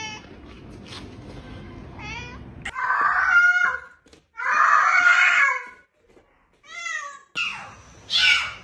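Several loud, harsh meows from a domestic cat, each drawn out and wavering, come in bursts of a second or so. Softer, higher mews fall between them, and faint background music plays early on.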